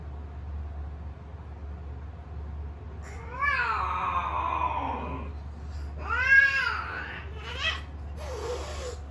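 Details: A blue-lilac British Shorthair cat gives long, wavering yowls that rise and fall, typical mating calls.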